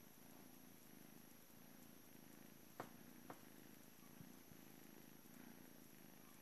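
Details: Blue male British Shorthair kitten at a cattery, on his last morning before going to a new home, purring in a low, rhythmic rumble of regular pulses; two brief sharp clicks interrupt partway through.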